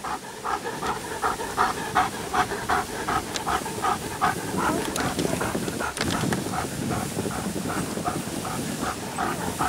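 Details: Sled team of Alaskan Malamutes (Guizmo, Coleen, Urok, Cazan) running through snow at Payolle, 31/01/12: fast, regular breathy panting, roughly 160 breaths a minute, over a constant scraping hiss of runners.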